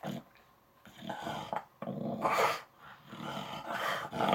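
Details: English Bulldog throwing a tantrum indoors, upset about something: rough growling grumbles and whiny vocal bursts in uneven runs, rising and falling, with short quiet gaps between outbursts in a small room.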